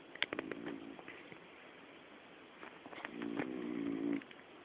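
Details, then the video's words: Connie, a female dog fast asleep indoors, snores twice: a brief rattling buzz, then after a pause a longer, louder vibrating drone that swells and stops abruptly, with light clicks around it. "Connie roncando"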